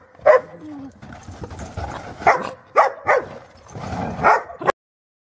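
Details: Cairn terrier "talking" after a person urges "come on": a run of short, sharp yips and bow-wow barks, about six bursts over five seconds with soft whining between them, indoors.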